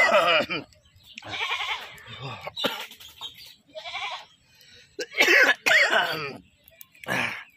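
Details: Goat that has just been caught, ahead of slaughter, giving short wavering bleats in separate bursts, with a louder strained pair near the end, while people talk between the cries.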